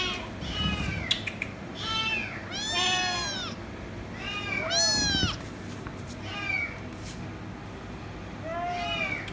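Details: Kitten screaming for head rubs utters irregular meows, some short and faint, two long and loud, arching in pitch, over a steady low room hum.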